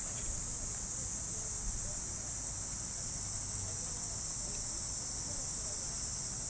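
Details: Cicadas in park trees on an early summer morning in Japan: a steady, unbroken high-pitched hiss drones throughout with no pauses, over a faint low rumble.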